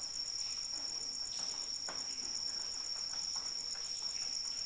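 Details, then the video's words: Cricket song in the rain: a high, fast-pulsing, unbroken trill, while raindrops patter and splash irregularly in the background. "Suara Hujan dan Jangkrik Pengantar Tidur"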